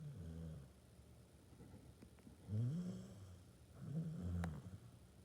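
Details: Sleeping Basset Hound snoring: quiet, low rasping breaths with a rough, throaty buzz, two louder snores near the middle and end separated by softer breathing.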